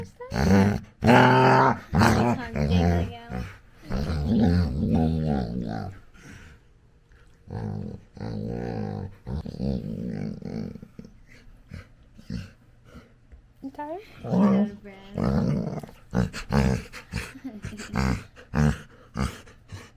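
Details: Labrador Retriever puppy playing indoors with its owner, making loud grumbling, growly play noises in repeated bursts with harmonic whines, pausing midway, while a man talks and laughs over it and music plays softly.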